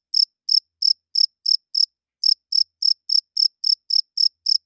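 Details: Loud nighttime cricket chirps, crisp high-pitched pulses repeating roughly three times per second, a brief gap in the middle before the even rhythm picks up again; silent background otherwise.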